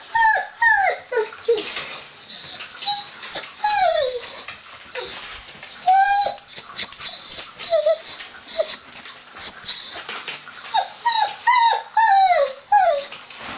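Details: One-year-old male Dobermann indoors whining in frustration at a closed door, wanting to greet visitors; rapid series of high, wavering whimpers and yelps sliding downward, broken by short pauses, with occasional clicks and rustles.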